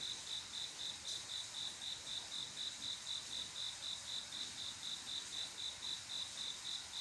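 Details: Male cricket's mating call on a quiet summer night: evenly spaced, high, clear chirps repeated about four times a second without a break, with a soft steady hiss behind.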